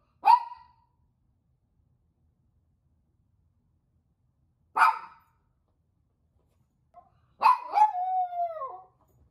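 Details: Toy poodle reacting as its owners leave: three sharp, isolated barks spaced a few seconds apart, the last one running into a short, falling, whiny howl.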